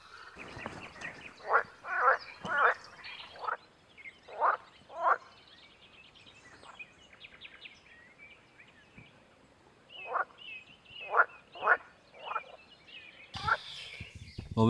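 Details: Breeding-season frog chorus recorded from a floating photography hide: short croaking bursts repeated irregularly, sometimes in quick runs of two or three, with quieter stretches between and a loud rustle near the end.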